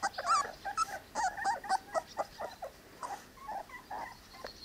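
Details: Three-week-old Cane Corso puppies give soft, fairly quiet whimpers and thin squeaks, separate short cries spaced irregularly about every half second, fading toward the end.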